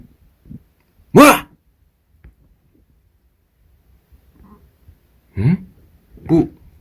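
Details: Pet Munchkin cat giving three short, harmonic meows in a quiet indoor setting: one loud, slightly rising cry early on, then a long pause before two softer, nasal meows about a second apart.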